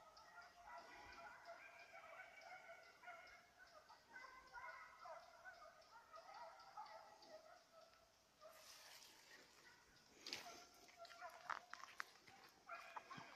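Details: Rabbit chase by a Petit Basset Griffon Vendéen, recorded 5 October 2014. Steady, tonal baying fills the first eight seconds, then fades under rustling, crackling noise with a few faint cries.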